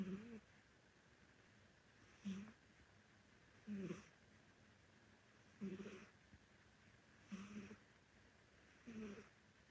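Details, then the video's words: Snoring from a sleeping elderly orange Korean Shorthair cat indoors. Six steady, hoarse snores with a low buzzing core arrive about every one and a half seconds in a still room. "실제 고양이 코골이 소리(시끄럽다)"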